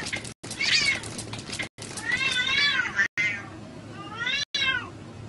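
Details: Domestic cat meowing repeatedly, several drawn-out, rising-then-falling mewing calls with bright harmonics, separated by short silent cuts; faint background noise.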